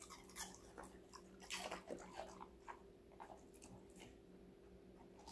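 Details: Connie, a five-month-old female Golden Retriever, crunches through assorted vegetables indoors: sharp, crisp bites and chewing crackles in quick irregular bursts over a steady low electrical hum.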